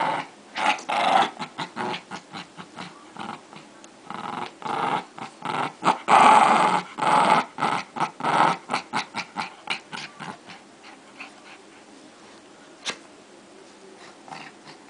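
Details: Fight between two dogs: dense, rapid snarls and growls packed into quick bursts for about ten seconds, then fading to a few scattered sounds and near quiet.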